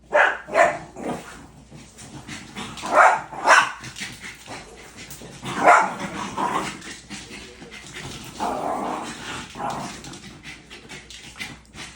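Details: Pet puppy indoors giving short, breathy barks and whimpering yelps in irregular bursts, mixed with household noise.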